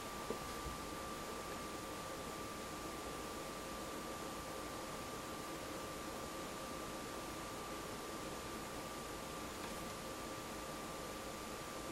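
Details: Quiet indoor hiss with a steady electronic whine throughout and one faint knock near the start; no animal voice is heard.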